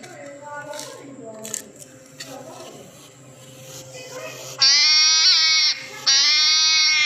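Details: Hedgehog making a crying noise like a baby. A person talks at first, then two loud, drawn-out wails follow, the first dipping briefly in pitch midway.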